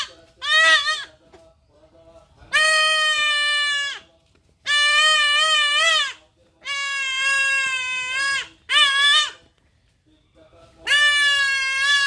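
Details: Goat kid bleating during castration: a run of six loud, strained, quavering bleats, some lasting over a second, with brief pauses between them and soft human voices in the gaps.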